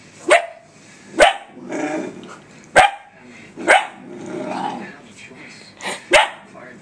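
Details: Puppy named Faith barking at her own reflection in a laptop, giving short sharp barks about once a second, with soft human speech and laughter between them.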